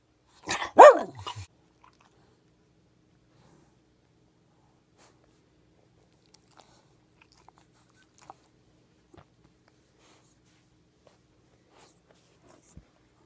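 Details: Miniature Schnauzer, an overweight pet dog indoors, asked to say hi and answering with a greeting; one short burst of barks at the start, then near silence with faint small clicks and handling noises.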